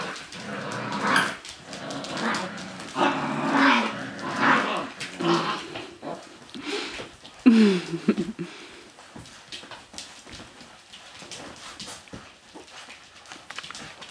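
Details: Six-week-old Siberian Husky puppies: rough, noisy growling bursts repeat through the first six seconds, then one short whine slides downward near the eighth second, and soft clicks and rustling fill the quieter remainder.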